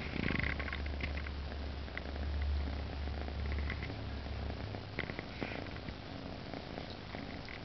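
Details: Pet cats huddled tightly against each other, a pair packed close. A deep, throbbing purr is strong and even for the first four and a half seconds, then fades into a softer rumble with light rustling.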